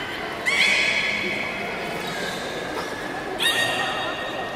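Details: Port of Nagoya Public Aquarium beluga, public training at 13:30 on 18 July 2016: a high whinny-like whistle with overtones held for about a second, then a second shorter squeal, over steady crowd and room noise.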